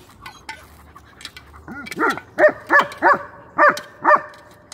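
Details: Domestic dog playing in a back yard with pine cones and a battered bowl found in the woods; a series of six short, sharp barks spaced about half a second apart, with a woman speaking softly before them.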